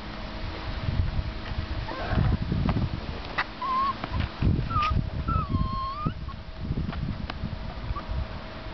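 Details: American Eskimo puppies aged seven weeks give thin, wavering whines, one longer dipping cry near the middle, over heavy low rumbling and handling thumps.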